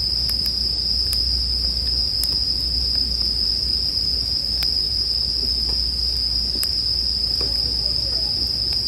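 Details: Steady high ringing of bell crickets fills the scene, joined by sharp campfire crackles roughly every second or two and a heavier low rumble.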